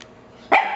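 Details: Pet dogs barking at a talking parrot they seem afraid of: a single sharp, loud bark bursts out after half a second of quiet room tone.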